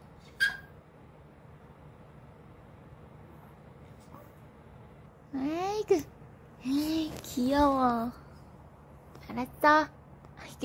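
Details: A six-year-old Maltese named Janggun whines indoors at mealtime while a woman offers more dessert. Drawn-out, wavering, arched whines rise and fall in a cluster of three or four, with short sharp yips before and after and her speech around them.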